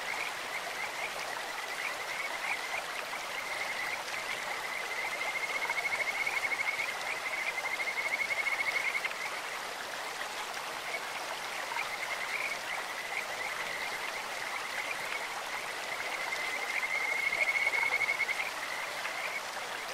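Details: Stream-dwelling Kajika frogs give a continuous thin, high whistling trill, rising to stronger bouts between five and nine seconds and again near seventeen seconds, set against the steady hiss of running stream water.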